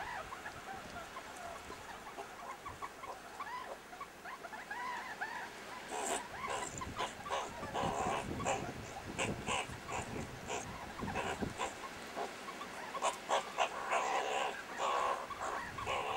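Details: Meerkats playing rough-and-tumble at the Kalahari Wildlife Sanctuary trade rapid high chirps and squeaky squeals, broken by scuffling clicks and rustles.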